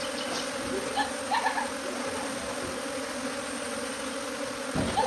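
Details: A bee swarm moving from its hive to a tree makes a steady, low, droning hum that holds for the whole stretch. A few faint chirps come through in the background.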